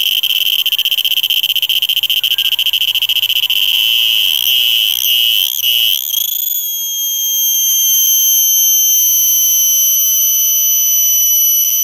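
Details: Cicada. A cicada produces a piercing, high-pitched whine, at first faintly pulsing and wavering. After a brief dip and shift in pitch, the sound settles into a steady, unbroken tone.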